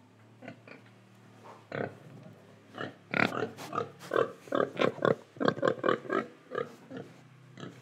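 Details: Pig in Indonesia, quiet snuffling at first, then a rapid run of steady, rhythmic grunting oinks about two per second before easing off again.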